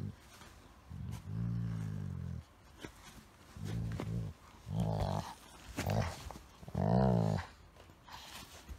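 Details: Pet Golden Retriever play-fighting with a Chihuahua–Shih Tzu mix, making odd 'dog talk': low, harmonic grumbling growls in five separate bursts of about one second each, rising in strength toward the end, with rustling between them.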